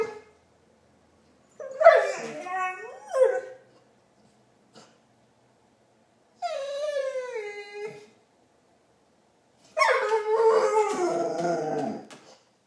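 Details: Marley the pet dog produces Chewbacca-like noises: three separate warbling, harmonic moans, the first rising and dropping with a squeaky edge, the second sliding steadily downward, the third a longer, rough wavering groan.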